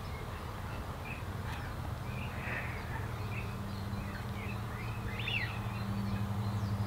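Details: Female red-tailed bumblebee (Bombus lapidarius) at NSG Disselmersch nature reserve, 8 April 2018 at 16:25, filmed on a Panasonic Lumix GH5; a low steady droning hum begins about two seconds in, with scattered bird chirps and calls above.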